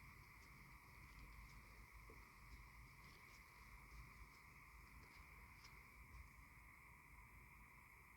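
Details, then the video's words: On the spring equinox, a steady chorus of tree frogs forms continuous trilling bands, with scattered higher chirps over a low background rumble, in a recording of tree frogs and owls. "The sound of Tree frogs 🐸 & Owls 🦉"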